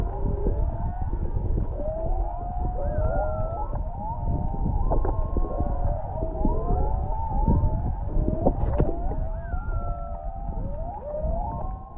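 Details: Off Canoe Beach, Maui, humpback whales sing underwater about half a mile away: layered sliding moans and upswept whistles repeating throughout, with a few higher notes and persistent deep ocean noise.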